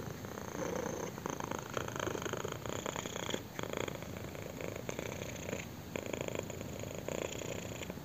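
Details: Kitten purring while being scratched on the chin indoors: a steady, rough, rumbling purr of dense rapid pulses that swells and eases with each breath, close and continuous with no other sounds.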